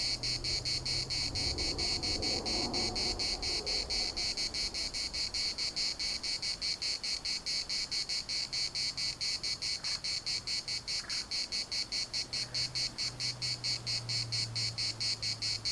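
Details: Cicadas in the municipal park of Larnaca keep up a continuous pulsing buzz, high and harsh, beating a little over twice a second, with low hum and brief faint background sounds.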